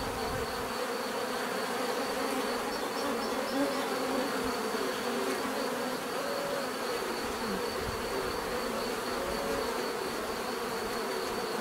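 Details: Relaxing natural buzzing of bees: a constant swarm drone, occasional single insects swelling nearer with slightly rising tones, and a faint steady high-pitched whine running across the recording.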